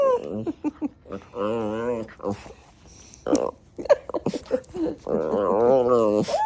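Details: An Alaskan Klee Kai, feisty after sundown, gives wavering, yodelling howl-talk in drawn-out bursts while a person speaks.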